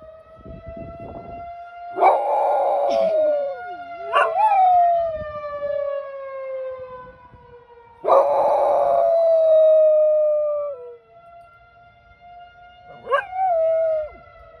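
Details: Pet dog howling at a monthly tornado siren test, first Tuesday at 10 am, siren close by down the street: several drawn-out wavering howls rising then sliding down, tangled with the loud steady siren tone.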